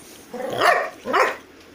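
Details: Two rough, gruff barks from a Golden Retriever dog, spaced about three quarters of a second apart, each noisy and broad with a short tail, against a quiet background.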